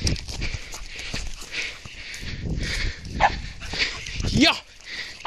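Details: A female beagle on her first encounter with a roe deer gives a few short, rising bays among rustling noise and a human voice.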